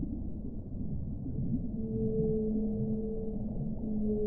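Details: A whale sings a low, steady, humming tone with a clear higher overtone, held level for about two seconds, rising out of a rough, grumbling low background of underwater noise.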